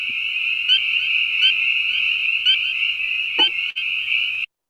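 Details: Spring peepers in full chorus, as heard right at a pond edge in Lincoln, Massachusetts, in a dense, continuous wall of high, shrill peeping notes.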